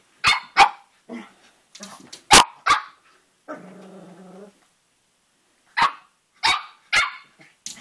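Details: ['Young Cavalier King Charles Spaniel, about three and a half months, playing with its mirror reflection: bursts of shrill barks, then a sustained low rumbling growl lasting over a second, a pause, and more quick yaps.']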